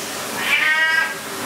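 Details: ['Cat being washed in the bath lets out a single clear, high meow lasting about half a second, gently falling at the end, against a constant hiss of background noise.']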